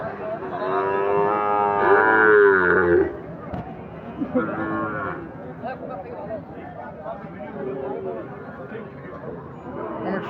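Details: Sahiwal bull calves being bought and sold at the busy Ambari livestock market on a Monday, 29 April. A long, loud harmonic moo of about two and a half seconds, then a shorter moo, over crowd chatter and background music.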